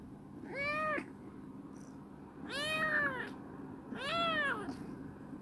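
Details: Three evenly spaced, arched meows roughly every one and a half seconds from Chibikuro, a rescued female black cat, a former stray turned clingy and affectionate, eating well and running about a warehouse.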